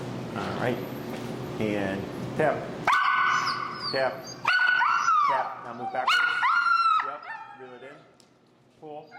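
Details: During e-collar recall training, Finn, a very vocal dog, gives a run of high, sustained whimpers, each held for about a second and sliding down at the close, over a human voice speaking early on.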